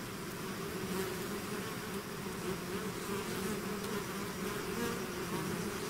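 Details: Swarming bees leaving their hive make a dense, even drone, low buzzing bands holding steady throughout with a faint hiss above and no other sounds.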